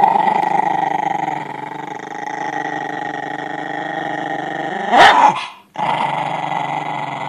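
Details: Italian Greyhound; growl; guarding its bone from being taken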